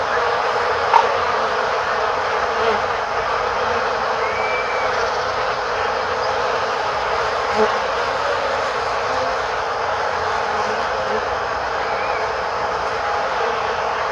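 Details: Western honey bees make a steady, dense buzzing drone from many wings at once, recorded in front of a beehive in Korea, with some birdsong and passing voices.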